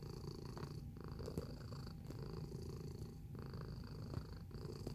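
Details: Domestic cat purring in a close-up: a low, continuous rumbling purr that swells and dips with each breath about once a second, with a faint steady high whine in the background.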